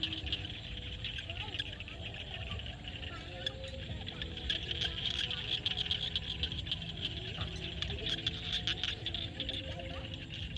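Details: Evening frog chorus from a field in Cambodia at sunset, with many overlapping clicks and rattling trills, thin sustained tones lower down, and steady low background noise.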